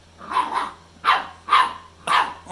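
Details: A pit bull puppy gives runs of sharp, high, thin yappy barks, some doubled, about half a second apart, apparently telling off his brother, who took a toy.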